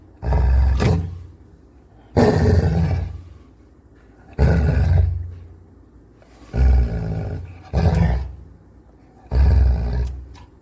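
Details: Angry Labrador Retriever growling. About five deep, rough, rumbling bursts, each about a second long, come roughly every two seconds with quieter gaps between.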